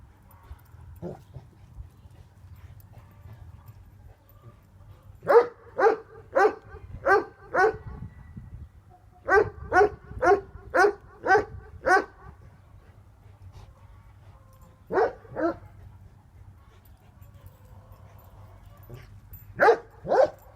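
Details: Bosnian shepherd dog Tornjak, livestock guardians named Hattori Hanzo and Leksi, barking in bursts: quick clusters of four to six booming barks, pauses of several seconds, then pairs of barks, over a quiet steady hum.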